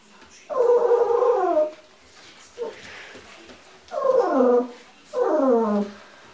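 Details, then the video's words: Wind-farm Giant Schnauzer voicing drawn-out, tonal, slightly falling howling whines, each roughly a second long, three main calls with a short yip between, in a quiet setting. "Riesenschnauzer vom Windpark"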